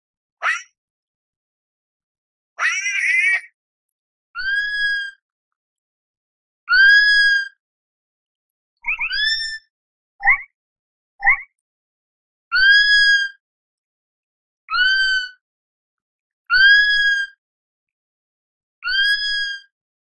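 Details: Sloth calling repeatedly over twenty seconds. After a few harsh opening squeals, it settles into long, even whistled cries with ringing overtones, about one every two seconds. Two brief rising squeaks come midway, against a silent background.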